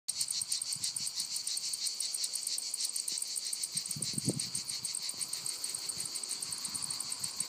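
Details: Cicadas in lavender fields in Provence, France. A continuous high, rasping drone pulses rapidly and steadily, with faint low rumbles beneath.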